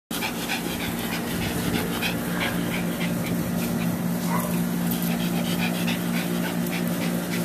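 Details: A short-coated Chihuahua, a little female up for adoption, panting rapidly in rhythmic breathy bursts about three per second, with a steady low hum underneath throughout.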